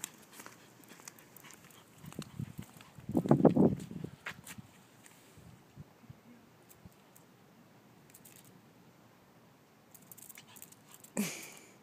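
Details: A Chihuahua on holiday at Sainte-Marie-la-Mer, on an evening walk back from the beach with her plush duck toy, gives a brief, low, rough grumble amid light tapping and clicking sounds.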